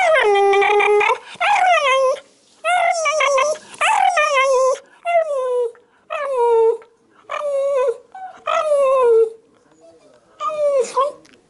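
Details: Shiba Inu eager for food, drool in its throat making its voice rattle; loud, long, moaning whines with rich harmonics, each sliding down in pitch and ending in a rough gurgle, eight cries about every 1.3 seconds.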